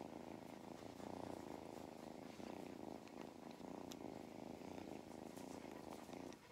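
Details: Mustard the cat purring steadily while enjoying belly rubs on a regenerative farm in County Kilkenny, Ireland; a continuous low rumbling motor with faint rustling.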